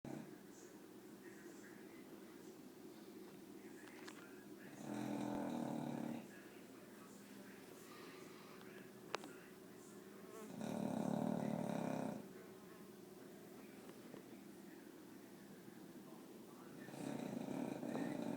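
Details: A sleeping dog snoring loudly indoors: three long, rough, rasping bursts at roughly six-second intervals, each lasting over a second, with low droning breath between them.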